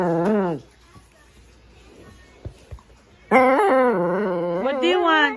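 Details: Shih Tzu 'talking' indoors: a short wavering whine at the start, quiet room with faint taps, then a long undulating harmonic howl-like moan with rising and falling pitch.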